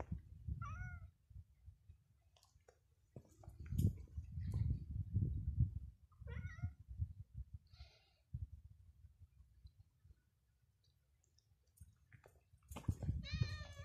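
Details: Cats on a street called Calle de la Cuesta; several short, tonal meows with bending pitch, some faint and some closer, over a steady low rumble of outdoor noise and passing sounds.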